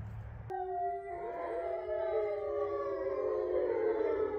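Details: Eight captive resident grey wolves at a sanctuary in Ipswich, Massachusetts, howling together under a full moon on November 27, 2023; after a sharp click, several sustained overlapping howls begin at once, steady and gently wavering, layered in different pitches.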